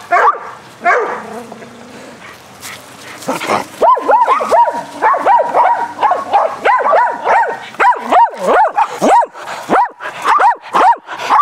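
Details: Several dogs named Athena, Brando, Rocko and Charlie play aggressive fetch on a spring day; after quieter whines and rustling, rapid arched barks start near four seconds and repeat in quick succession to the end.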